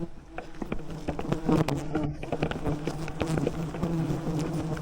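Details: Thousands of wild bees swarming a giant honeycomb high in the rainforest canopy while honey hunters on ropes use smoke to calm them; a dense, low, steady droning buzz with scattered clicks and knocks throughout.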